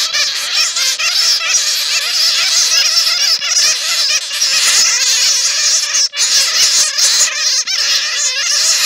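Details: A dense, continuous chatter of high, scratchy squeaks from many bats calling at once, an original recording of bats caught in netting.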